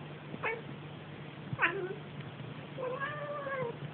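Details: Pet cat indoors making funny noises: three meows, the first two short and falling, the last a longer drawn-out wavering mew, over a steady low hum.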